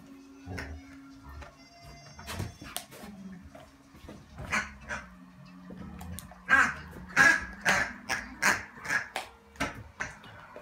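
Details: Podenco Ibicenco during a pig attack: scattered barks at first, then a rapid run of harsh, loud barks about every half second from the middle onward, over a faint steady tonal hum.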